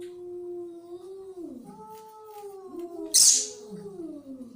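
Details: Angry cat growling in a steady, low, wavering yowl, interrupted by a sudden loud hissing spit before the moaning resumes and dips lower.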